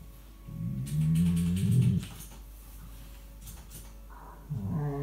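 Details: Rescue dog Tia 'talking' during play with her companion Sandy in 2018, a dog known for chattiness rather than barking; a drawn-out low warbling groan, then quieter rustling and a fresh rising grumble at the end.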